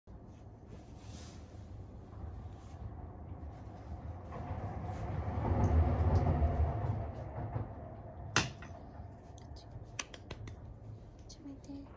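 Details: A low indoor rumble swells midway, with a sharp knock near the end and a few light clicks, but no animal call.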